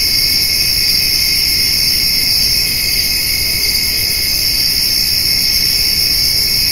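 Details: Crickets and grasshoppers on a summer evening, where a white-tailed doe and fawn feed on hay; a dense, continuous high-pitched insect chorus forms unbroken bands, with a low rumble beneath.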